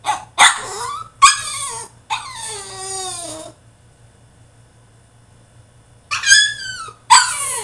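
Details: Loud tantrum from a French Bulldog shut in his cage, with sharp yelps, a long wavering howling whine that sinks in pitch, a silent gap, then more harsh high yelps.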